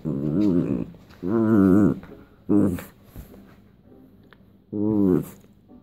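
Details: West Highland White Terrier being tickled, giving four drawn-out, wavering growly moans of half a second to a second each, separated by short quiet gaps with faint rustling.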